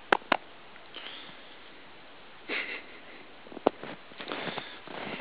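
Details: Si, a Giant Schnauzer in booties out in the snow, gives short scattered sniffs after two sharp clicks at the start, with quiet pauses between the airy puffs.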